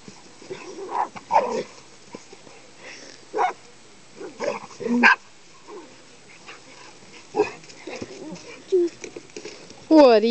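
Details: Pit Bull and Rat Terrier playing together indoors: scattered short sharp yips and barks come in bursts across the recording, with a woman talking and laughing between them and a brief squeaky sound at the end.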